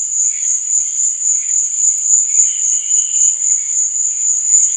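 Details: Crickets at night: a dense, steady high-pitched trill that swells and fades in soft pulses several times a second, with fainter scattered chirps from other crickets lower beneath it.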